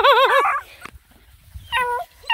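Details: Nine Black and Tan Coonhound puppies hiking around a pond: a warbling, wavering whine-howl that rises and falls several times, followed after a pause by two shorter flat yelps.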